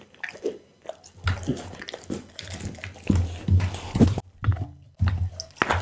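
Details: Pit bull Bounce chewing unusual raw foods such as lamb spine, beef kidney and horse meat: rapid crunching bites, several per second, loud clustered snaps between brief pauses, low hum beneath.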